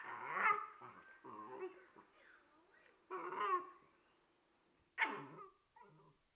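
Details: A dog fussing because it wants to play with a companion that cannot hear it. Short whining, yelping calls come in uneven bursts with gaps, and one sharp bark sounds near the end.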